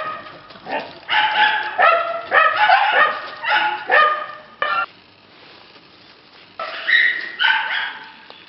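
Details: Young red Shiba Inu bitch yapping in a string of shrill, ringing barks, roughly two per second, then a silent pause of about two seconds before a few more whining yaps close the sequence.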